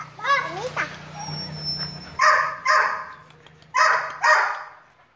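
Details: A voice speaks briefly at first. Then a dog gives four loud, sharp barks in two pairs, about a second apart.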